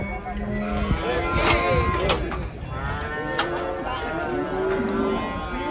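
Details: Huge cattle, furious at being about to be sold, moos in sustained low tones with overtones, partly overlapped by people talking and sharp knocking sounds.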